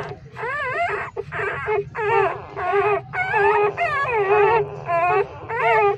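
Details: Loud wavering whines from three-day-old homeless newborn puppies breastfeeding from their street mother dog in a pipe; squealing cries come in near-continuous bursts with short gaps, pitched bends repeating over a low background hum.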